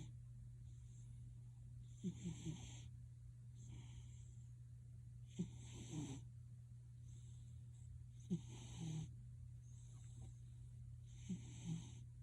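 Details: Cat named Gildong snoring at home, likened to a man's snore: slow, rhythmic wheezy breaths about every three seconds, airy and hissing, with a constant low hum underneath.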